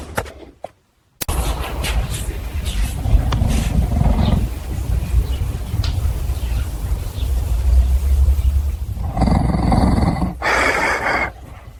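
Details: A caracal, shown as angry in a staged, digitally created recreation with added sound design, gives a low, continuous rumbling growl ending in sharp, breathy hisses.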